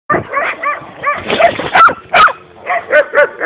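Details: Belgian Shepherd giving a rapid burst of sharp, high barks and yips, about a dozen short calls in quick succession, some with a whining rise.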